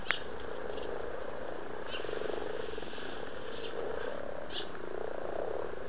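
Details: Frogs in a breeding mood in a pond near Blarney, Cork, Ireland, filmed in February 2012: steady low purring croaks overlapping in a dense chorus, with scattered soft clicks and a sharp tap at the outset.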